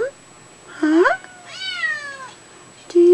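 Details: Kittens calling for their mother indoors: two high, falling meows with harmonic overtones, a gap between them, then a woman's voice at the end.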